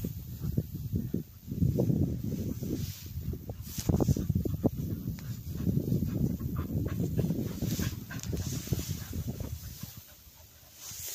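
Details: Cocker spaniels retrieving along a river bank during gundog-style training, panting close by in rapid low breathy bursts that pause briefly near the start and soften toward the end.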